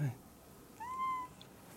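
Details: A single clear meow from Jaba, a cat on a high place. The tone is steady, lasts about half a second, and follows a brief human vocal sound.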